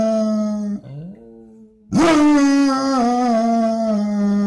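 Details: Basset hound dog howling during a morning vocal exchange indoors: a sustained howl breaks off into a short, quieter lower note, then a strong, slightly falling howl resumes and holds for over two seconds.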